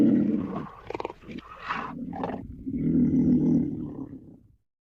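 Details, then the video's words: Black panther, a black leopard: a deep, throaty growl that keeps rumbling, broken by a few short, raspy coughing bursts in the middle, then swells again before fading away. "The sounds of the black panther"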